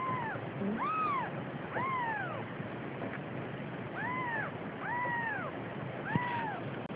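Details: Quieter arched mews from a Siamese cat carrying a kitten, short rising-then-falling calls repeated roughly once a second over a steady background hiss, with a faint click near the end.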